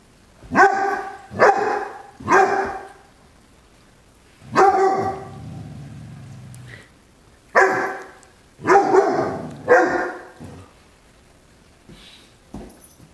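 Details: Obadiah, a Great Dane puppy, barking while scared of a feather toy meant for a new kitten; loud harmonic barks in clusters of three, a drawn-out growling bark, then more paired barks, with a person urging him on.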